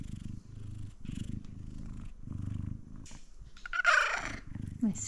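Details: Male F2 Savannah cat purring up close, a deep pulsing rumble in regular breaths, while a woman talks affectionately over the last second.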